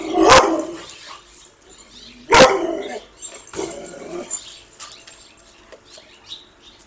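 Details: Dog chasing a squirrel: two loud, explosive barks about two seconds apart, then a softer third bark, trailing into quiet rustles and faint high chirping sounds.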